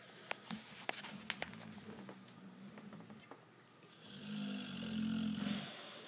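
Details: Pit bull named Spencer snoring while asleep: a few faint sharp clicks early, then a low, rough, raspy drawn-out snore swelling loudly through the second half before fading.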